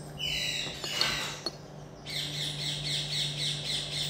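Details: Pet common marmoset gives a high squeal, then some sharp taps and clicks, followed by a rapid pulsing trill of about four shrill notes per second, with a low hum throughout.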